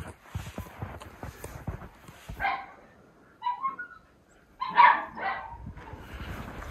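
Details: Miniature Schnauzers waiting indoors to be let out into deep snow in Aroostook County, Maine, in winter: a few moderate barks and yips around the middle and end, over low rumbling handling noise and quiet background.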